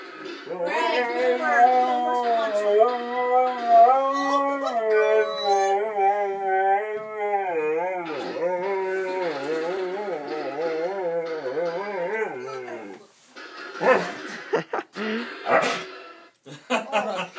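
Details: Pet dog singing while its owner plays piano: long wavering howled tones sliding up and down for about thirteen seconds, then breaking into short scattered yelps and noises.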